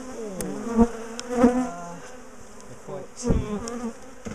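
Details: Loud, wavering hum of bees passing close by as beekeepers take the bars and followers out of a top bar hive while splitting and moving an aggressive colony; buzz swells and fades repeatedly, with bumps of equipment.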